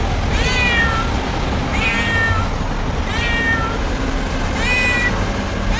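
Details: Domestic cat crying in four evenly spaced meows, each a bright harmonic call bending downward, about one per second and a half, against constant low-pitched background rumble.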